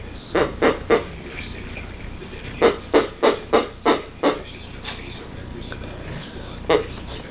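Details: Pekingese attacking its new toy just before Christmas while someone tries to wrap it. Short, harsh, nasal yelps come in quick bursts: three together, then a run of six, then a few scattered ones with pauses between.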